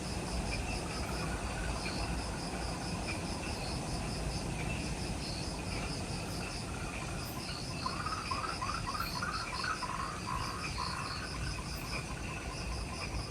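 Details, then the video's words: Insects calling in the jungle near the Mount Omoto trailhead on Ishigaki Island, Okinawa, Japan, at twilight just after sunset: overlapping pulsed high chirps and steady trills, a brief rapid series of lower notes midway, over a constant low rumble. "Relaxing Jungle Ambience with Insects"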